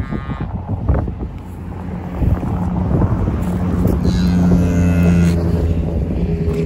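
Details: At Loseley Park, English Longhorn cattle moo around a newborn calf after the birth. A loud, deep, drawn-out lowing swells through the second half, over wind buffeting and handling noise, with brief higher tones alongside.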